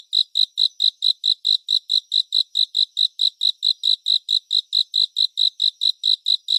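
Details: A cricket sings continuously in a soothing surround-sound nature recording made for sleep. Sharp, high-pitched chirps come in an unbroken, regular series, around two each second, throughout the clip.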